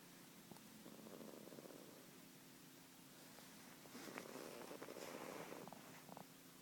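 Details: One-year-old British Blue cat snoring while asleep: two long, soft, breathy rasps, the second louder and rougher, separated by a quiet pause, with a faint steady hum underneath.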